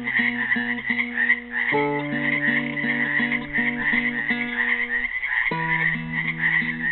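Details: A dense chorus of frogs trapped in a pool in Helix, Oregon croaks steadily on Earth Day 2016 while a classical guitar plays repeated chords over it.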